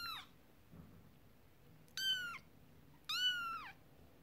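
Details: Kittens with their first toy, a horse-drawn carriage, while the mother cat is upset; three clear, sharp, high-pitched mews, each dropping in pitch at the end, spaced about a second apart against a quiet room.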